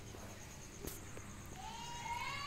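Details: Domestic cat in mating season, among three males pursuing one female: after a sharp click, a long drawn-out meow begins late and keeps climbing in pitch to the end, over a constant low hum.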